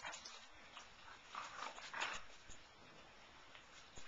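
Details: Siberian Husky pups recorded on 20 February 2011, giving thin, high squeaky whimpers that cluster around the middle of the short stretch over a soft, steady indoor background hiss.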